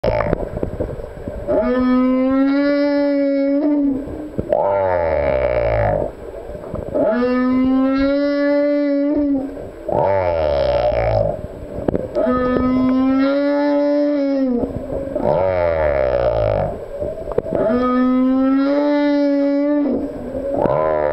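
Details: Male humpback whale singing: steady harmonic moans, each a couple of seconds long, alternate with rough, falling, rumbling sweeps, the two-part phrase repeating about every five seconds with short pauses between units.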